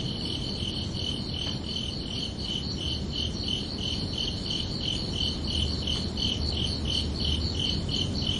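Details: Summer-night crickets keep up a steady high chirping rhythm of about three pulses per second, with a few faint clicks and a low background rumble that swells slightly toward the end.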